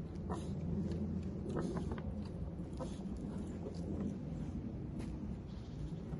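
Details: A pet Vietnamese pot-bellied pig gives low, rumbling grunts in a steady, muttering stream.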